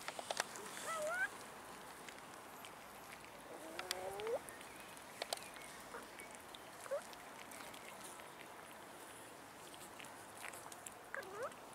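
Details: Hungry abandoned cats in a city park beg for food with soft, scattered meows, some short and some curling upward, among frequent light clicks and outdoor background noise.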